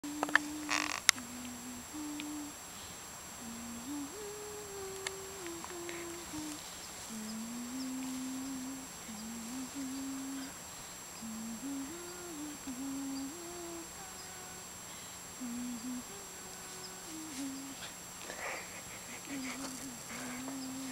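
A Labrador puppy makes a long run of low, tuneful whines and hums that step up and down.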